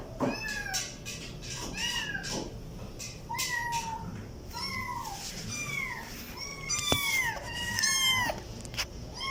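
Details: Overlapping kitten meows, short arched cries rising then falling, some drawn out and higher toward the end, mixed with scattered knocks and clicks in a cluttered indoor setting.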